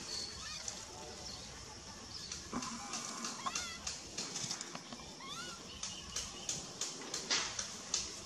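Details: Baby monkey Begal cries while its mother Lemon ignores it. Short whiny rising and falling wails repeat through the stretch over a steady background of sharp clicks and rustling.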